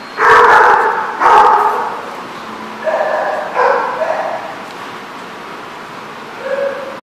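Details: A dog gives two loud, sharp barks about a second apart, then three softer barks spread over the next few seconds against a quiet background.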